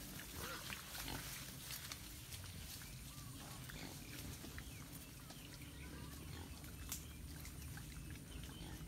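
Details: Wild boars walking in the wild grunt low and steadily, a deep rumbling chorus under faint outdoor hiss.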